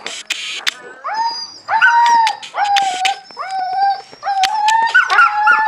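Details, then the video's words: Husky puppies at a meal, making a series of short rising-then-level whimpers, each about half a second long, separated by brief pauses and growing more frequent toward the end. "Омномном ))) щенки хаски"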